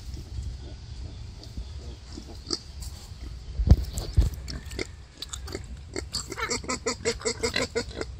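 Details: Wild boar giving birth to five piglets: low grunting and snuffling under steady rumble, scattered sharp clicks and knocks, then a fast run of short, squeaky, pulsed notes over the last two seconds.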